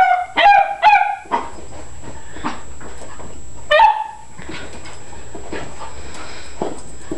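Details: Molly and Emma, a beagle and a beagle cross, give three loud, ringing, harmonic barks in quick succession at the start, then one more drawn-out bark a few seconds later, followed by a quieter stretch of low background noise.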